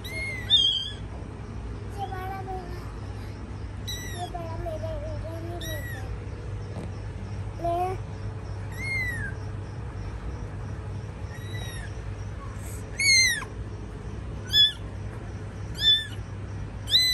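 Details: With their mother cat tending them, kittens cry in scattered high, curved mews, some wavering lower calls early on, and louder sharp cries late in the stretch; faint steady hum in the background.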